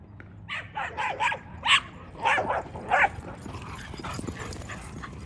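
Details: On 26 November 2023 at their old dog park, dogs bark in a quick, uneven series of about eight loud barks within four seconds, over low outdoor background noise.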